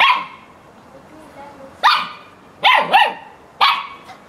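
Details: Playful Samoyed barking at playtime alongside cats and dogs; five loud, clipped barks, one at the start, then three in a quick cluster near the end with a doubled yelp, and a final bark.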